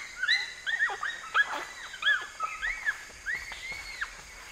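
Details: Bonobo group calling, the pygmy chimpanzee: high arched hooting squeals, each rising then falling, overlapping from several animals in quick irregular bursts over about four seconds.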